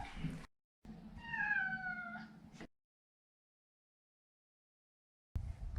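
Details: Pet Maine Coon Maro, a neutered male, utters a single drawn-out meow that gently falls in pitch, over low background rumble, with long silence and brief noisy segments around it.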